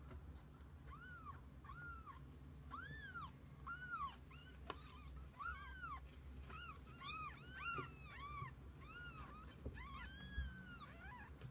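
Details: Kittens together with their mother cat spend the day side by side, producing a busy stream of high, arched mews, short and overlapping, several in quick succession throughout, over a low steady background rumble.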